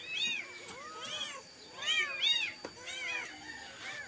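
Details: Kitten that wept all night seeking its mother, trembling as it calls: repeated high, arched mews in pairs, about six cries in four seconds, over a quiet background.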